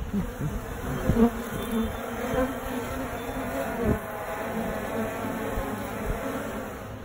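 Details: Suburban honey bees gathered in a tree, first taken for a wasp nest, phone recording: a dense, continuous low buzz of many bees, slightly wavering in loudness, with a few faint knocks and handling sounds.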